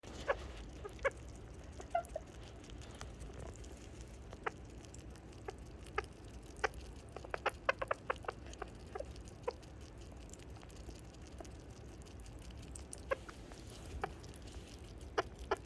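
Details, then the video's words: A leucistic sugar glider gives soft, quick, happy chirps and clicks, scattered irregularly over a quiet background. "Sugar Glider happy chirp sounds coming from Buko (the leucistic)"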